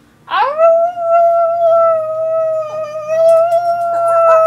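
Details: A female Chihuahua singing: one long, steady, howl-like tone that begins with a short rising onset, then holds an even pitch with rich overtones for about four seconds, wavering slightly near the end.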